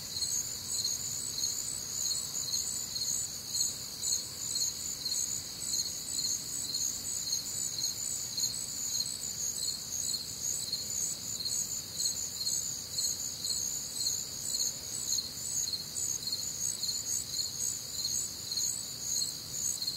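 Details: Warm, humid summer night in the Midwest with crickets and other nocturnal insects; bright, high pulsing chirps pour out steadily at about two per second, a thick overlapping chorus.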